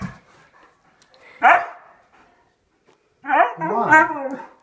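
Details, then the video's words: A pet male husky tells off his owners for leaving him, a daily habit. One short yelp is followed after a pause by a longer, rising and falling yowling grumble. Faint talk can be heard. "Angry husky telling us off for leaving him"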